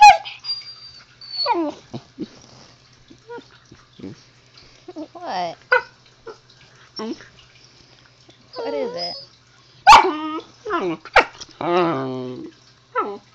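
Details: Zoey the husky puppy keeps up a running 'talk' with her owner: many short wavering yowls, whines and grumbles of varied pitch, some loud harmonic bursts near the end, with brief human speech mixed in.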